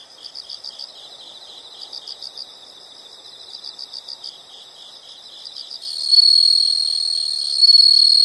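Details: Insects in a nature recording: quiet high chirps come in short rhythmic bursts for about six seconds. A loud, continuous high-pitched trill then takes over and swells near the end.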